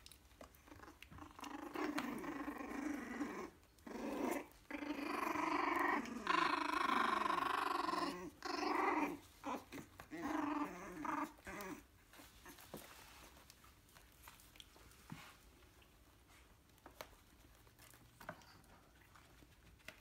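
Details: Yorkshire terrier puppy, three weeks old, growling indoors in a run of rasping, harmonic bursts broken by brief pauses over about ten seconds, then fading to soft rustling and handling sounds.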